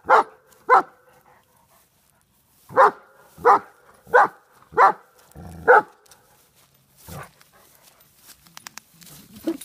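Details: German Shepherd of Czechoslovakian lines, 125 lb, encountering a groundhog: two quick barks, a silent gap, four regular barks and one more, followed by scuffling and rustling noises outdoors.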